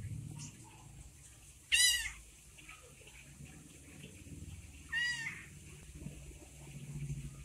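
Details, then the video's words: Abandoned orange kitten, left by its mother, calls twice with high, thin meows about three seconds apart, each arching up then down, over a low background hum. "anak kucing oren di tinggal sama induknya"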